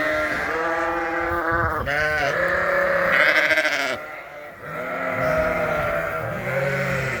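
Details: Hungry sheep calling for food at feeding time inside a farm barn during winter; individual wavering bleats stand out clearly from the crowd, with deeper lower-pitched baas among higher lamb cries and a short lull midway.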